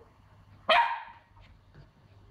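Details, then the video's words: Pomsky puppy, a young female, frightened of a new piggy toy that makes a strange sound; one sharp, bright bark that trails off quickly, with a quiet background. "Cute puppy barking at new toy (she is SO afraid!)"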